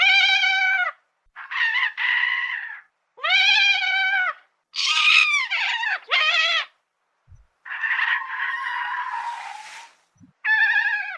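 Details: Madagascar lemur vocalizing in a series of about eight separate cries, some steady and mewing, others quavering or sharply rising, each roughly a second long with short silent gaps.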